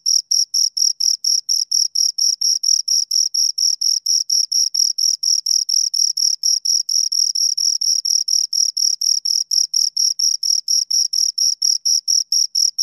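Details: Two crickets chirping in a steady, high-pitched pulsed trill, short scraping chirps repeated about twice a second in a rhythmic run, with a second harmonic band above; no other sounds.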